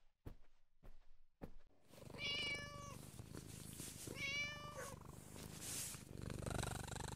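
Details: Siamese cat giving two drawn-out, slightly descending meows about two seconds apart, rich in overtones, over a steady low purring rumble, after a few soft knocks at the start.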